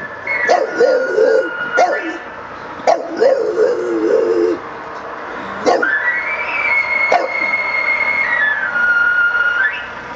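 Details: Homer, a bulldog, howls along with a passing siren: a long wavering tone that rises, holds high, then slides down, mixed with a steady electronic siren wail and short sharp knocks.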